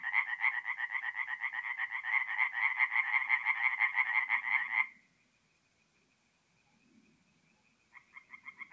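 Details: Tree frogs at a nighttime forest pond in April, north-eastern Italy: a close frog gives a fast, even series of rasping croaks for five seconds, then silence before another pulsed run begins.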